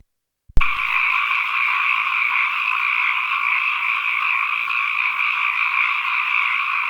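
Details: Frogs calling as ambient nature sound: after a brief silence, a dense chorus of many frogs starts abruptly and runs as a steady, unbroken rasping drone in two stacked mid and higher pitch bands, with no other sounds.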